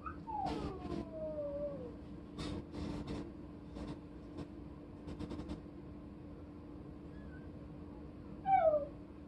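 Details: A brindle chow-chow-like puppy gives thin, high, falling howls and whines over a steady electrical hum.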